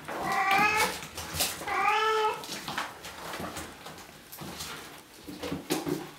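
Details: Bengal kittens from three litters, two almost 8 weeks old and eleven 5 weeks old, indoors; two clear, drawn-out harmonic meows in quick succession, followed by softer scattered mewing and rustling.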